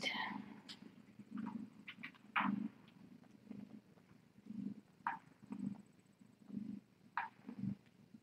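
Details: Cat named Tip purring on a TinyKittens rescue live cam during a late-night visit, steady low rumbling pulses that swell and fade about once a second, broken by soft clicks, rustling and brief quiet voice sounds.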